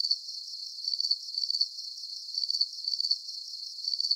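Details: Calming cricket sounds for deep sleep: shrill, rapid pulsed chirps in clustered bursts, slightly uneven spacing, high-pitched and steady over a soft hiss, with no other sounds.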